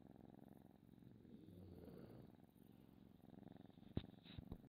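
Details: Domestic cat purring steadily in a low, even rumble, ending with a couple of sharp knocks or handling thumps in the last second.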